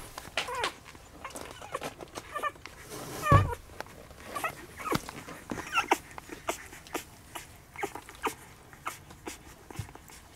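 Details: Young puppies of the dog Sani, 9.9.2016, eyes just opened and becoming more active: a thin high squeaky whine rises mid-recording, a second follows later, amid frequent rustling, knocking and shuffling movement noises.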